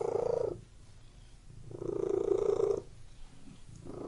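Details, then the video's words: Domestic cat purring: a low, rumbling purr in steady swells, with loud stretches of about a second broken by softer, quieter pauses. It sounds indoors and close, with no other clear sounds. "WHEN CAT MEOWING AND PURRING"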